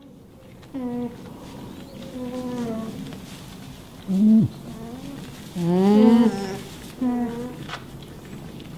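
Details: Alpaca humming: about five nasal, tonal hums of varying length, some steady and some sliding upward, spaced irregularly over several seconds, with a faint low background rumble.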